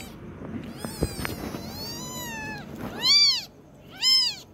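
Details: Kitten learning to walk gives high, arched meows: a long wavering one early on, then two short bright meows near the end, with faint thumps and rustling beneath.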